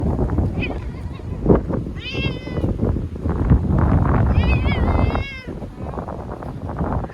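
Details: Frightened former street cat crying while caught and sheltered in a bathroom from a powerful typhoon in Okinawa, September 2020; two wavering, drawn-out meows with rich harmonics over heavy wind and rain noise and a woman's voice.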